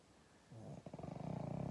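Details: Pug snore starting softly, then turning into a rapid, fluttering, pulsed rattle that grows louder toward the end, low and throaty throughout, in a quiet indoor setting.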